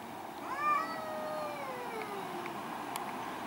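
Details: Angry cat during a fight between two cats in a garden: one long strained yowl rising sharply then sliding slowly downward over about two seconds, harmonic and tense, over steady low outdoor hiss with a few faint clicks.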